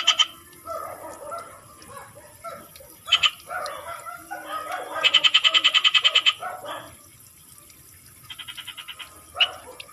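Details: Frogs in the Philippine countryside giving a rapid pulsed croaking burst of about a dozen clicks, then a shorter burst later, over quieter mixed chatter and scattered sharp notes.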